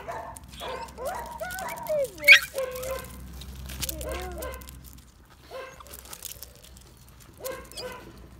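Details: Bull Terrier puppy of a working line, kept with a rat, letting out bent, falling whines and yips in scattered bursts, with a loud clatter early and quieter pauses between calls.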